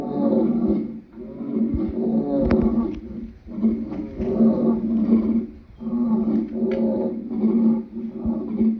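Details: Lion calling in a series of deep, hoarse moans, each lasting one to two seconds and separated by short breaths.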